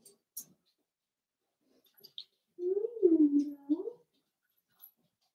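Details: Blenheim Cavalier King Charles Spaniel puppy, one of a litter of five born on New Year's, in an indoor puppy pen, giving a drawn-out wavering whine that rises, dips and rises again over about a second and a half, with a few faint clicks around it.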